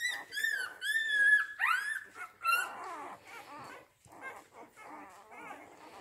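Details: Rhodesian Ridgeback puppies from a litter born 8 June 2019 at a kennel: loud drawn-out whining cries with clear bending tones, some rising sharply, followed by softer overlapping whimpers and squeaks.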